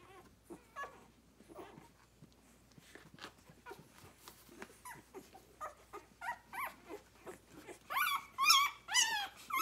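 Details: Six-day-old Rhodesian Ridgeback puppies nursing on their mother, a litter born 9/3/2020; soft scattered squeaks and grunts at first, building to louder, higher whining squeals near the end.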